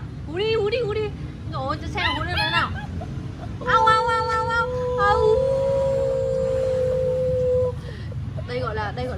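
Alaskan Malamute puppies attempt howls: high, wavering yelps ending in one long, steady, thin note.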